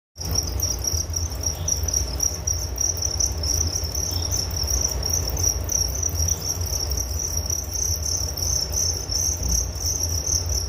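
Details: Crickets in a relaxing nature recording: a steady high-pitched trill runs continuously throughout, with a low rumbling hum underneath.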